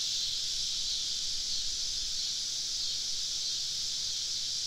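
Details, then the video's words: Many cicadas around a camp deep in the woods on a summer evening in the South give an even, unbroken high-pitched hiss with no clear pulses, softer than the surrounding passages. "Southern Evening Summer Cicada Symphony"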